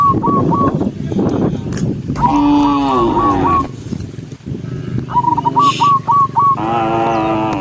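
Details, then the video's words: Herded cows moving as a group along a countryside road; two sustained, resonant moos stand out, separated by a noisy stretch with bursts of short repeated high chirps. "Cow sound cow Moo"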